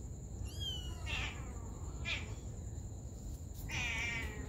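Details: Mother cat tending her baby kittens, with three high, thin, wavering mews at about one-second intervals, each sliding down slightly. A steady high electronic whine runs throughout over low background rumble.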